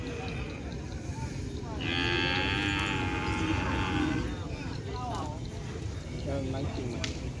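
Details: A young racing bull on its first day at the track, joining training with others, gives one drawn-out, harmonic-rich moo lasting about two seconds over steady crowd murmur and background music.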